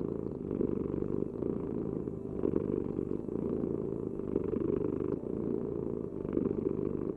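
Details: Loud, close cat purr: a thick low vibrating drone, rising and falling slightly with each breath, steady throughout.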